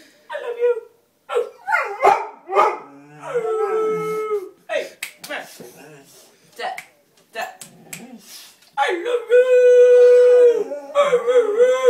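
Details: Female Bullmastiff greeting her owner with howls mixed with a person talking in a small room. Short yelping whines are followed by a steady tonal howl near the middle and a longer, level howl toward the end.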